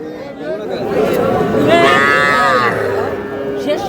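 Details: One long, harmonic-rich bawl from a small bull calf swells and fades over about a second at a cattle market in Madaripur, Bangladesh, 28 April 2026. Men's voices haggle close by.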